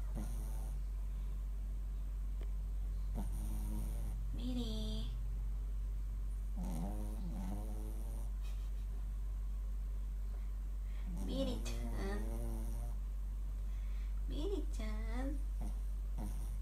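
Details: Mylly, a sleeping Shih Tzu, snoring indoors: wheezy, tonal snorts with wavering rising and falling pitch come in short bursts every few seconds over a low, steady background hum.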